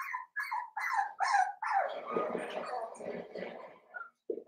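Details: Blenheim Cavalier King Charles Spaniel puppies, seven weeks old, in an indoor pen with their four littermates; quick, high, whining yelps come about every half second, then blur into a continuous whimpering cry that trails off.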